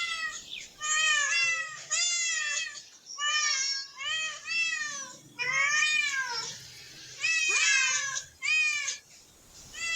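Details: Cats in a park, part of a group exploring and relaxing while a family and child look on; bursts of harmonic meows come in quick runs, some overlapping, each bending up then down, with short pauses between groups.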